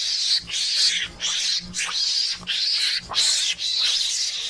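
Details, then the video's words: Mongoose lure call, played to draw mongooses in: harsh, hissing screeches in high-pitched bursts of about half a second, repeated roughly every second with brief gaps, plus faint low thumps beneath. "pancingan suara garangan"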